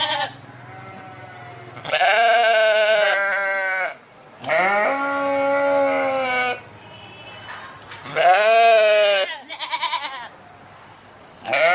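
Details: Sheep giving long, quavering, harmonic bleats, three main cries a couple of seconds each, followed by shorter broken bleats near the end.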